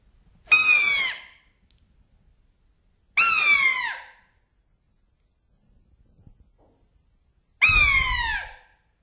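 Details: Roe deer call, played back, a different sound from the fawn's contact call and carrying another meaning: three sharp, high cries with bending overtones, spaced about three to four seconds apart, near silence between them.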